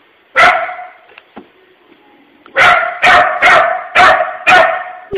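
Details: Puppy barking at an empty tissue holder shaped like a puppy, treating it as a scary thing, indoors at a workplace while closing up; one sharp bark, a pause with faint noises, then a fast run of five loud barks.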